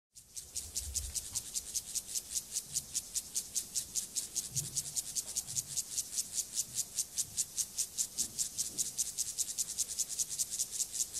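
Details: Male Siberian grasshopper (Gomphocerus sibiricus) performing its courtship song to a female during mating behaviour: a steady, raspy, high-pitched pulsed stridulation, about two and a half even strokes per second, continuous for eleven seconds with no other clear sounds.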